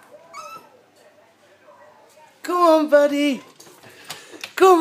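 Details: Lhasa Apso named Paddy, a dog's 'James Bond version': a loud, sustained, slightly falling harmonic howl of about a second, then a second rising cry at the end, while a man keeps urging 'come on, lad'.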